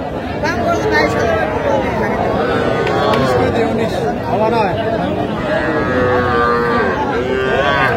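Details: Young Sahiwal bull and heifer calves at a cattle market in Tangail on 7 July 2025, bought by a farmer; several calves moo in overlapping, drawn-out bellows throughout, with constant crowd chatter and bargaining voices.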